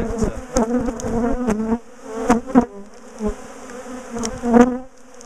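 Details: Bees buzz as a large top bar hive colony is taken apart and moved because it kept chasing people down the garden. Low droning hum with bursts of wingbeat tones, interrupted by sharp clicks and thumps of equipment.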